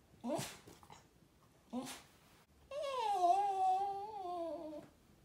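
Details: Shiba Inu giving two quick rising yelps, then a sustained, wavering, nasal whine that holds steady for about two seconds before trailing off, in a small quiet room.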